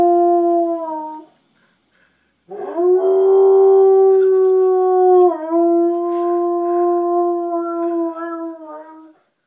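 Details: Female Old English Sheepdog Rooney, aged four, joining a fire truck with howls: a brief falling note, a pause, then a long sustained wail that wavers slightly and dips mid-way before ending.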